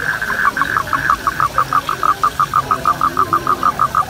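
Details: Mating toads call in a run of clipped, mid-pitched pulses that start quick and ragged, then settle into an even rhythm of roughly three per second over low background noise.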